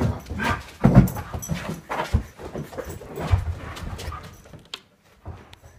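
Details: In the morning, an Alaskan Malamute coming upstairs to say good morning gives low, throaty, wavering grumbles and moans in its talkative greeting.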